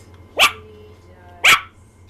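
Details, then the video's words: Tiny female Yorkshire terrier indoors, vocalising for attention: two sharp, high yapping barks about a second apart, over a faint low hum. "Iota the Tiny Yorkie Sings for Attention"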